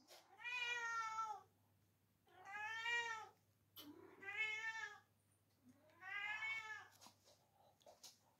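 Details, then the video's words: Domestic cat meowing as it asks for dinner indoors: four long, drawn-out harmonic meows, each about a second, rising then falling, spaced roughly two seconds apart, with a faint low hum beneath. "my talking cat"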